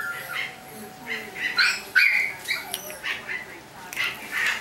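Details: Chihuahua puppies squealing and yelping in short high-pitched bursts, some with ringing overtones, irregular and overlapping, over a low steady hum with a voice faintly mixed in.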